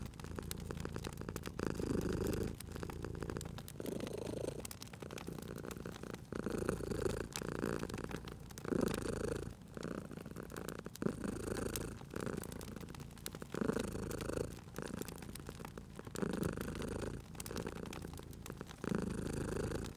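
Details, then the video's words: Cozy fireside scene with a sleeping pet cat purring steadily; deep, throbbing purr rises and falls in breaths roughly every two seconds while the fire crackles with frequent dry clicks and pops. "Cute Purring Cat at a Crackling Fireplace"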